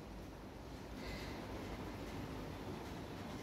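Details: Continuous low rumbling noise, like a passing train or wind, with no animal sounds.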